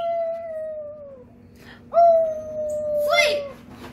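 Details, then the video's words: Tonka, a pet Alaskan Malamute, howls indoors, excited by visiting nephews, nieces and a neighbour. Two long, steady howls: the first sags slowly downward, the second jumps up and then holds level. A person's voice overlaps the end. "Malamute Has Company & They Have A Howling Good Time!!"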